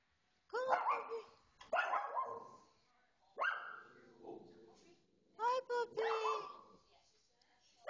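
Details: Excited female pet dog barking indoors at a television pet show, giving five loud, sharp, yelping barks in uneven bursts with short gaps, mixed with television voices.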